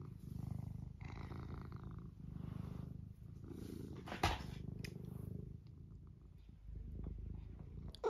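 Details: A pet cat named Eric purring steadily, a low rumbling drone pulsing in long breaths, with brief clicks and a soft rustle partway through, indoors.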